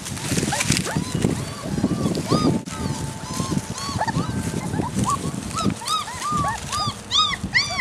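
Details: Great Dane puppies outdoors on leaves and straw over a winter vegetable bed, only their second time outside, some crying: short rising-falling whimpers and squeals scattered throughout, growing denser toward the end, over rustling and low background noise.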